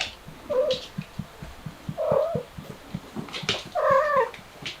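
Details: Mother cat trying to escape through a window with her kittens: three drawn-out, wavering low meows about every one and a half seconds over a steady ticking background.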